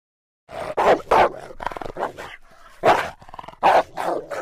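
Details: Rottweiler barking: deep, harsh single barks, two quick ones close together, then a pause with softer rumbling before two more loud barks and a final shorter one, all within about four seconds.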